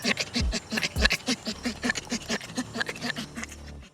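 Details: Chimpanzee play laughter, the pant-giggle given during tickle fights and chase games: rapid breathy panting bursts, about three or four each second, hoarse and rhythmic, with low thumps underneath.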